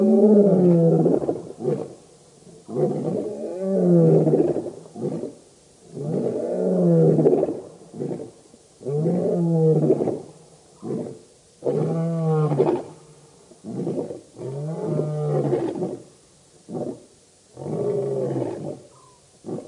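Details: Lion coalition known as the Birmingham Boys roaring together at a dam in Sabi Sand's Djuma Game Reserve, South Africa, August 2016; sustained chorus of heavy roars and grunts pulsing roughly every two to three seconds.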